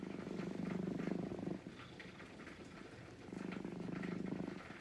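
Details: Brown-and-white domestic cat waiting calmly while being gently stroked, purring in two long low rumbling bouts, about 1.5 seconds each, with a quiet gap between and faint background rustle.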